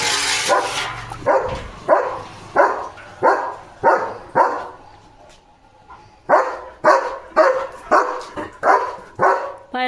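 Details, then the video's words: Evening guard duty at a farm: a German Shepherd barks steadily in a long series of harsh barks, some with voices overlapping at the start, a brief lull midway, then a fresh rapid run. "German Shepherd Potty Mission ✔️ Barking Mode ON"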